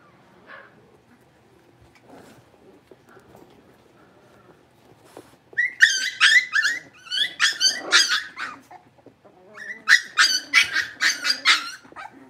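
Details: Blenheim Cavalier King Charles Spaniel puppies, a litter of five born on New Year's, in their home puppy pen after moving to a bigger pen: faint whines, then rapid bursts of shrill yapping barks with a brief pause before resuming.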